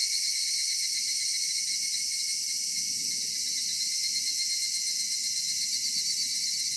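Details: Cicadas singing on a summer evening in a cedar forest: a dense, unbroken high shimmering chorus that holds steady throughout, with faint low rumble beneath and no other clear sounds.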